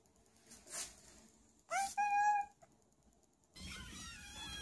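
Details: Kitten or cat from a pet compilation giving one drawn-out, steady meow with clear harmonics, preceded by clicks and a rustle, then a burst of hissy noise and higher tones.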